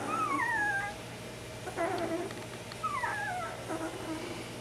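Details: Tired 10-day-old Bernese Mountain Dog puppies in a basket complain while waiting for their bedding to be changed, each with its own distinctive squeak: thin, high squeaks sliding downward in pitch.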